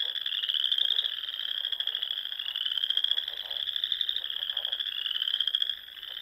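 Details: A wall of high, fast-pulsed trills from many frogs fills a spring dusk in the Nebraska Sandhills, near small lakes and ponds, staying steady before easing slightly at the very end.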